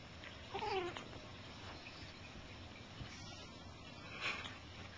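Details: A big Bengal cat calls during rough play with a kitten: one brief, wavering, descending growl-like yowl near the start, followed by soft thumps and rustling from the tussle.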